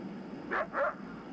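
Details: A coyote's warning bark howl: two quick, harsh, aggressive barks before a fluctuating howl, against a faint hiss. It typically comes 100–200 yards away after hearing, seeing or smelling an intruder, alerting nearby coyotes that something is wrong.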